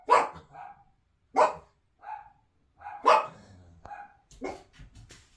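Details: Toy Poodle puppies indoors, meeting a balance board and enrichment toys alongside an adult Griffon Bruxellois. Four sharp, bright barks about one and a half seconds apart, each followed by a softer tonal yelp, then a quicker cluster of small yaps.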